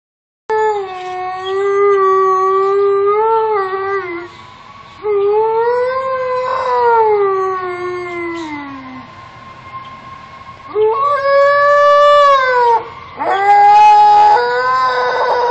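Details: Pet Alaskan Malamute howling at passing fire trucks: long, tonal, wavering howls with rich harmonics, several drawn-out phrases, one sliding downward, separated by short breaks, then rising again near the end.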